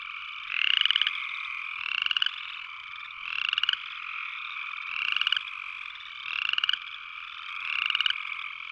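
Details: Upland chorus frog calling with six rising, comb-like pulsed trills. They are spaced about 1.4 seconds apart and sit above a continuous shrill background chorus.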